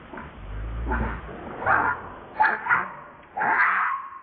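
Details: Baby monkey named Leo crying to its mother, harsh broken bursts of whimpering cries at irregular intervals, a few louder strained squeals toward the end, low rumbling noise early on.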